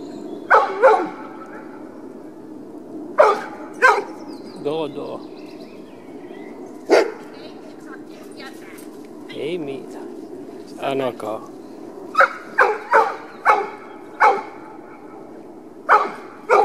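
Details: Dogs at a dog park, short sharp barks in irregular bursts, some close together and others spaced several seconds apart, over a low steady background hum with brief soft voice-like sounds in between.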